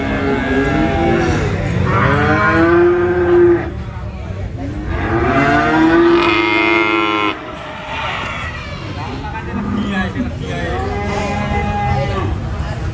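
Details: Cattle taken to the Prambanan animal market, bellowing in loud arched moos roughly every few seconds, some rising then falling, over a constant hum of market bustle and traffic.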